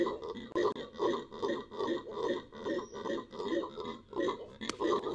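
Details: Venezuelan red howler monkey giving rhythmic, guttural, grunting pulses, about two per second, each a short rough bark in a pulsing series.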